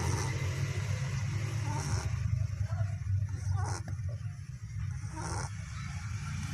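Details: Sleeping puppy snoring: a steady low rumbling drone with rough, uneven breaths running through the whole stretch, faint soft hiss above.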